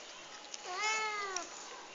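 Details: Domestic cat indoors at breakfast time in the morning, one of several household cats, giving a single drawn-out harmonic meow that rises then falls, lasting under a second, in a quiet room.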